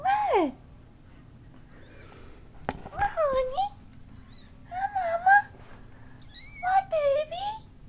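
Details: Cat meowing indoors: a falling meow, then a sharp knock, followed by three more wavering meows spaced a second or two apart, the last ones higher and bending down at the end.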